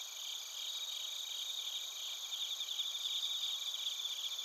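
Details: Crickets and bell crickets in Narita, Chiba Prefecture, Japan, recorded using a TASCAM Portacapture X8, trill together in an unbroken, high, tinkling wall of sound, with quick pulsing strokes growing slightly stronger midway through.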